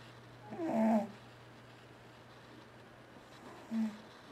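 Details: A sleeping pet cat named T-Jay gives a loud, rough snoring breath. After a long quiet pause comes a second, shorter and softer snort, over a faint constant hum in a small room.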